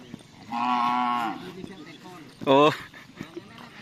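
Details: Cattle at karapan sapi bull race training on the Asemanis field in Pamekasan, preparing for an event: a steady, level, harmonic moo of under a second, then a short, louder, rising bellow, with faint voices and laughter nearby.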